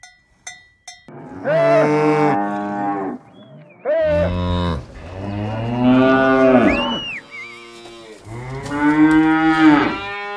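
A cow gives three long, deep moos, each a drawn-out bellow rich in low harmonics.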